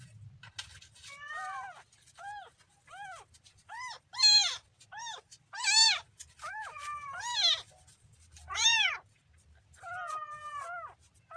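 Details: Kitten meows insistently, a run of a dozen or so arching calls, several loud and strained with rough, squealing peaks, others softer and shorter, in a quiet indoor setting.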